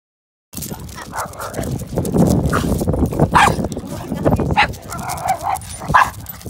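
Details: Mixed-breed Pekingese-poodle dog barking while out on a walk, recorded during training for barking and leash pulling; a few short, sharp barks and yelps break through a steady, noisy outdoor rumble.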